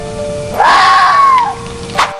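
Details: A red fox screams once, a harsh, strained wailing cry like a person shrieking at night that swells, arches and fades, with a brief rasping burst after it, over steady soft music; red fox.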